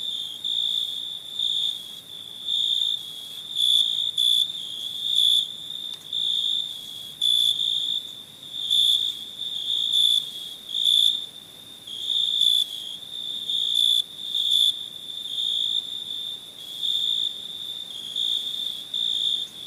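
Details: Night chorus of crickets recorded in India: a continuous shrill trill punctuated by rhythmic swells of louder chirping, irregularly spaced about one to two seconds apart, with a faint hiss of other insects beneath.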